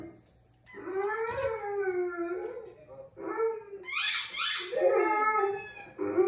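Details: Pet dog howling indoors: a long smooth rising-and-falling howl, a short break, then higher strained howls with a breathy, whining edge.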